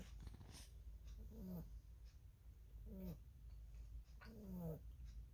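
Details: Pet rabbit snoring while asleep, each breath ending in a brief squeaky, slightly wavering note, about three snores over five seconds, against a low constant hum.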